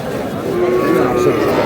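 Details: Sahiwal bull calf at a busy cattle market in Kurigram, Bangladesh, on 3 March: a low, steady drawn-out moo lasting about a second, under constant crowd chatter and market bustle.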